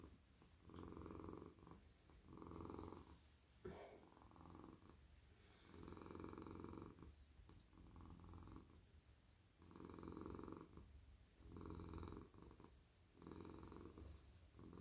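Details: Cosy male pet cat stroked on head, neck and whole body at night, purring contentedly; a low vibrating rumble pulses in repeated loud-soft waves about every one and a half seconds, with occasional light rustling from petting.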